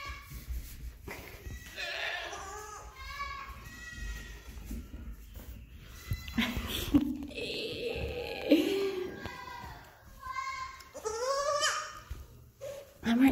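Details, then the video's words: A young pet goat yells for her owner when she loses sight of her; repeated loud, wavering bleats come in several bursts, some rising and cracking, while a woman answers that she is right here. "She lost me & started yelling!"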